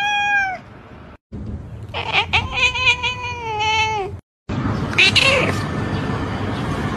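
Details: Domestic cat meowing in a funny compilation: a short falling meow, then after a cut a long, strained meow that slides gradually downward for about two seconds. It ends in a burst of rustling, noisy background sound.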